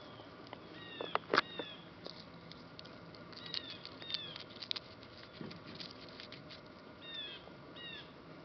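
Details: Rescue puppies of Labrador Retriever and Bullmastiff mix, three in the litter, whimper in short high falling whines among scattered clatter and a few sharp knocks, with more whines near the end.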